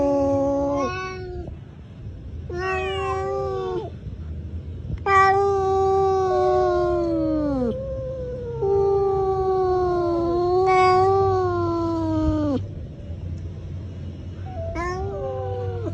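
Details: A cat in a fight gives a chain of long, moaning yowls that waver, then bend lower at their ends. Brief pauses separate some of them, while others run straight into the next.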